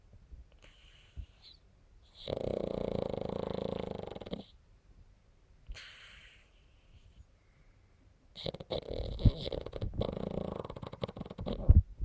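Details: Snoring pug, with two long grating breaths of about two seconds each, separated by quieter, softer breathing. The second bout is rougher and more uneven.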